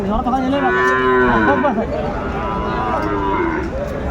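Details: Drawn-out, rich harmonic mooing from cattle at a Faridpur market, 24 December 2024, where a Sahiwal bull calf of seven to eight months is up for sale; two long bellows, the second wavering, over background crowd noise.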